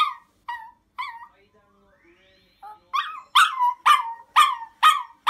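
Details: Chihuahua demand barking and crying because its request is not met: short high yelps with harmonics, a brief quiet whine, then loud sharp barks repeated about twice a second.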